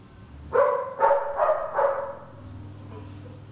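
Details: Two-month-old female Belgian Malinois puppy giving four short, harmonic yapping barks in quick succession over about a second and a half, each bright and mid-pitched, followed by quiet low background hum.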